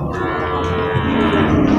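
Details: Limousin cattle at Purwakarta's largest livestock market in Indonesia, amid loading and unloading of cattle and buffalo: a sustained, droning moo with steady harmonics under background music and market noise.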